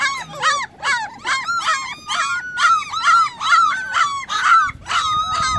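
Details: Puppies calling their missing mother produce a rapid run of shrill, arched yelps with a nasal, honking edge, roughly two per second, sometimes merging into longer drawn-out wails.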